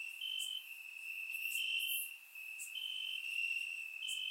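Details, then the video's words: Crickets in grass on a warm summer night in Bulgaria keep up an unbroken high trill, with a second caller adding longer pulsed bursts every second or so and a few bright high clicks. "Cricket Sounds - Crickets Chirping at Night"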